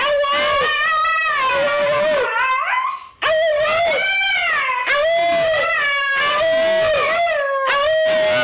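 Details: Pet dog singing: loud drawn-out tonal howls with rich harmonics, wavering and bending in pitch, in long phrases with a brief break near three seconds, continuing steadily to the end.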